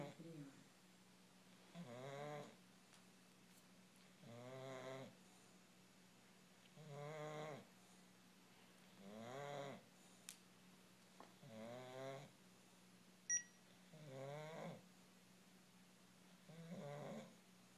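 An English bulldog snores in slow, rasping rumbles, one about every two and a half seconds.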